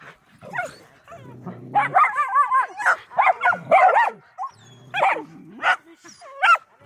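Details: A Medium Poodle, filmed running, gives a jumble of high whining yips, some wavering and drawn out, with short pauses between. Low human murmuring runs underneath.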